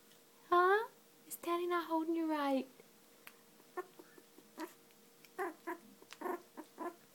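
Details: A two-week-old female Cocker Spaniel puppy, finding her voice, gives squeaky, whiny growls that slide downward while held, with a person talking softly.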